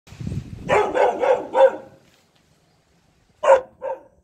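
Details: Saint Bernard puppy barking after seeing a monkey: a run of four quick harmonic barks over a low rumbling start, a pause, then two more barks.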